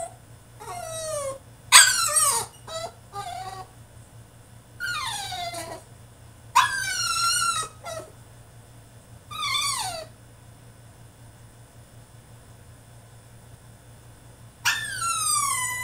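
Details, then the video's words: Male French Bulldog throwing a tantrum in his cage: repeated high, falling whines and sharp yelps in clustered bursts, separated by short silences, with a final long whine after a pause. "FRENCH BULLDOG THROWS TANTRUM IN HIS CAGE!!"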